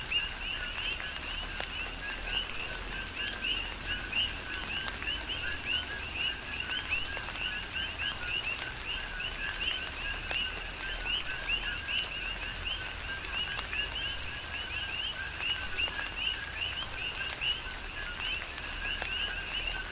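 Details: Tropical rain falls on the Big Island of Hawaii while a dense coqui frog chorus keeps up continuous, closely spaced rising chirps, with scattered drips over a steady wash of rain.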